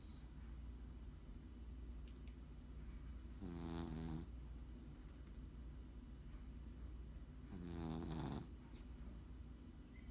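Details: Sleeping Chihuahua snoring: two buzzy, rattling snores about four seconds apart, each a short pulsed rasp over a steady low background hum.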